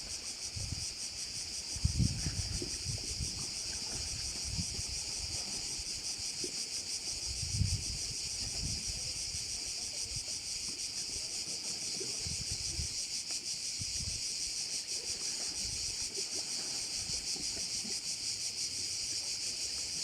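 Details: Crickets keep up a steady high, hissing drone beside a bay on Korčula in Croatia, while gusts of wind buffet the microphone with low thumps and a couple of sharp knocks.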